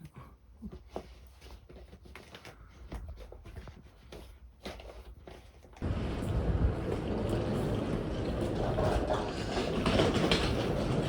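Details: Scattered clicks and taps give way to a loud, steady broadband rumble, with no animal voice.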